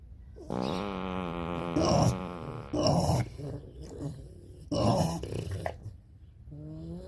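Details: Pot-bellied pig giving a long, drawn-out harmonic grunt lasting over a second, followed by several shorter, rougher grunting bursts spaced about a second apart, then a quieter low call at the end.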